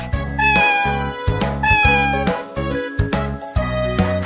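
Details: Cat. Several mewing calls from a domestic cat rise and then trail off, each lasting under a second. Rhythmic background music with a regular beat plays throughout and partly masks the cat.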